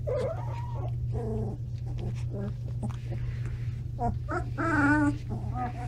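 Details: Standard Poodle puppies, 17 days old, indoors in a bigger new home: soft, brief whimpers and short squeaky yips scattered through the stretch, quiet beneath a steady low electrical hum.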